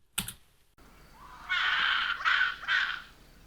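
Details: A rock hyrax calling at night gives three harsh, rasping squeals, each rising from a thinner lead-in, about half a second apart, after a sharp click; could be taken for an odd owl.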